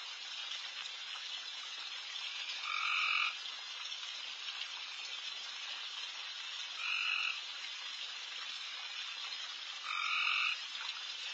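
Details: Night frog chorus in a backyard, with many frogs calling at once. The dense, sizzling background is punctuated by three short, loud, two-toned croaks spaced about three and a half to four seconds apart.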